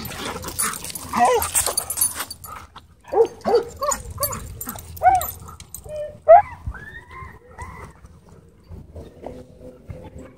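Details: Dogs at a dog park as a pitbull hybrid attacks two other dogs. Scattered sharp yelps and whimpering cries come in short bursts amid scuffling, followed by a quieter stretch with faint whines.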